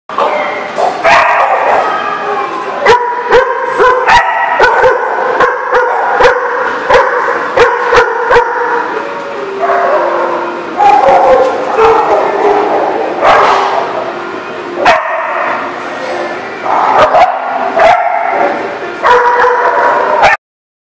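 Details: Dogs barking continuously, several loud overlapping voices giving sharp barks and higher yips in rapid bursts throughout, with a brief lull mid-way before the barking resumes.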